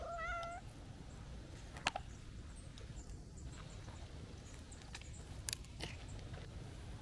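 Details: Calico cat, a stray, meowing happily as it comes to greet someone: a single short, clear, slightly wavering meow at the start, followed by quiet outdoor background with scattered faint clicks and ticks.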